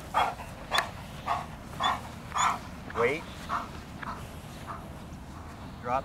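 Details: Large, powerful adult male German Shepherd, rated excellent in show and performance, in bite-work training with a handler agitating. Deep barks come in a steady series, about one every half second, with the handler's spoken commands over them.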